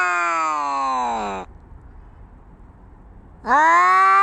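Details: Fighting cats: a sustained, harmonic yowl slides downward and breaks off, followed by two seconds of near silence before another wailing cry rises sharply.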